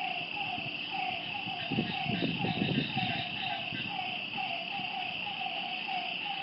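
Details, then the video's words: Night frog chorus beside a lake: quick repeated mid-pitched croaks carry through, with a dense high insect drone behind them and a short burst of low rumbling noise midway. "Lakeside night creatures and frog sounds"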